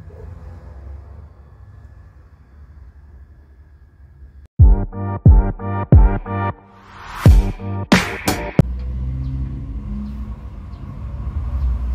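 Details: Deep vehicle-like rumble fills the background while a run of punchy electronic beats and bright music bursts in midway. No animal voice can be picked out.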